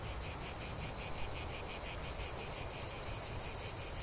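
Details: Cicadas in full chorus, a relentless high-pitched buzzing that pulses rapidly and evenly, with a low background rumble.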